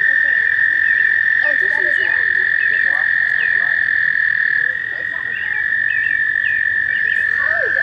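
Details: Chorus of American toads at a shallow pond by Warbler Bridge, Wehr Nature Center, on a warm May day in mating season. A continuous even trill dominates, with scattered short chirping calls layered over it.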